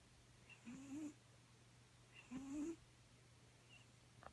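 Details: A Bengal cat snoring while sleeping: two soft, wheezy snores that rise slightly in pitch, about a second and a half apart, over a faint steady hum.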